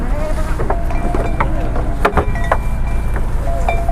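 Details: Low engine rumble and wind buffeting the microphone, with faint voices and brief knocks, but no animal calls stand out.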